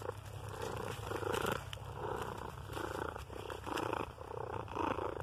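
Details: A friendly gray cat purring while getting tummy rubs and head bumps during a walk in the woods; loud, rhythmic purr pulses about twice a second, with faint outdoor background.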